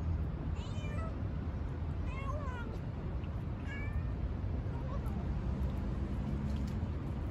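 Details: A newly arrived baby stray cat gives several short, faint meows, brief dipping cries in quick succession in the first half, against a loud continuous low rumble.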